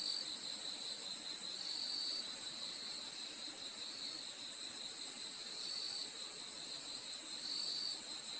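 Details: Night crickets keep up an unbroken, piercing high drone, while a softer, lower chirping layer rises into a handful of louder pulses spread irregularly through the stretch.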